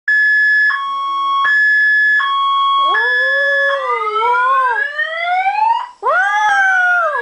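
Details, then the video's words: Dog howling along with a car alarm siren; stepped electronic alarm tones for about three seconds, then long wavering howls that rise and fall in pitch, loud and overlapping the continuing alarm. "Dog singing with car alarm (siren)"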